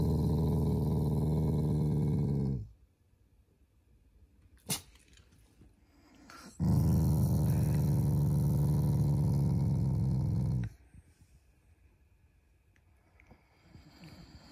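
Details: Shiba Inu growling in play to show affection toward its owners, not angry; two long deep rumbles about three to four seconds each with a sharp click between them, then quiet shuffling.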